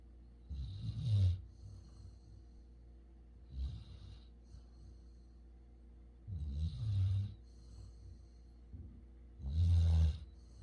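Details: Labrador Retriever Futu, born November 2020 and kept on Jeju, snoring in sleep: four heavy, rattling low snores at uneven gaps of two to three seconds, the last the loudest.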